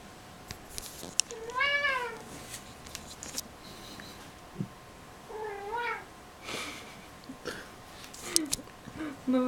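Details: Domestic cat Kissel, said to have suppressed sexuality, gives several arching meows spaced a few seconds apart, the last ones shorter and lower, over a noisy indoor background with scattered clicks and bumps.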